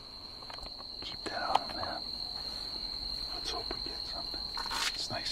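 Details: Two red-spotted toads mating in a back yard at night; one gives a steady, high, musical, deafening trill that runs unbroken (mating call), with a person talking quietly nearby.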